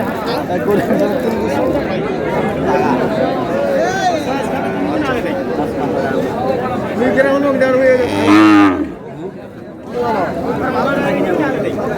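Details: Cows at a cattle market in Gaibandha, Bangladesh, where lean, bony cows are bought and sold; one loud, deep moo rises near the end above a constant crowd of chattering, haggling voices, then the din briefly drops.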